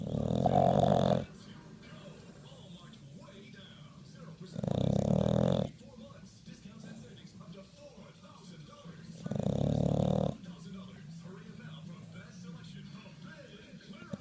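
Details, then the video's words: Pet bulldog asleep and snoring, three long harsh low snores spaced roughly four to five seconds apart, quiet wheezy breathing in the gaps. "the bulldog snores"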